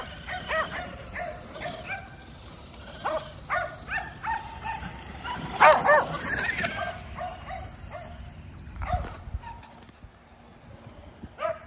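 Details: Five Kerry Blue Terriers exercising by chasing a remote-control car: scattered sharp barks and yips in quick irregular bursts, rising to a loud cluster of overlapping barks midway, then a few quieter calls.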